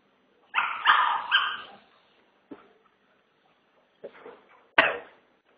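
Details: A Chihuahua in a five-day boarding stay gives a rough triple bark burst, followed by scattered short clicks and one sharp final bark in an otherwise quiet setting.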